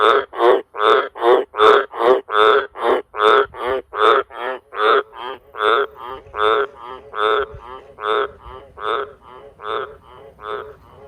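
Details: Wild Australian green tree frog (Litoria caerulea) around farm sheds, where frogs gather in a cattle water trough to breed, gives a long, deafening series of deep, rasping croaks that slowly fade.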